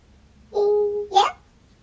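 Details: Pet cat meowing indoors: a steady, level drawn-out tone followed by a brief, sharper rising note, with no other sounds.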